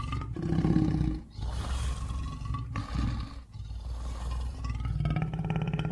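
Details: Lion roaring: deep, rumbling low roars broken by short breathy, broadband bursts around the second and fourth seconds, with a steady low growl running underneath.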